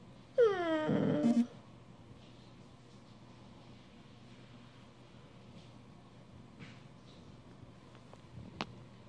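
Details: An Australian Shepherd indoors asking to be petted gives one short, high whine that slides downward and lasts about a second, followed by a quiet room with faint small knocks.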